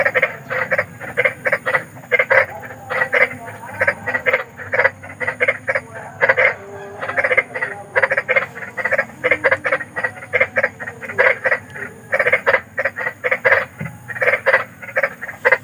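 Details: Big wild frogs croaking after dark, a scary-sounding chorus used as sleep therapy: dense, continuous run of short grating croaks, overlapping callers keeping a fast irregular rhythm throughout.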